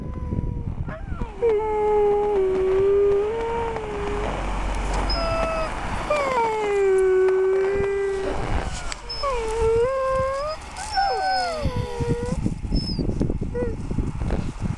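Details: Siberian Huskies on a sled ride in Schröcken am Hochtannberg: several long, wavering howls sliding down and rising, overlapping voices with yips, plus background chatter and vehicle-like rumble.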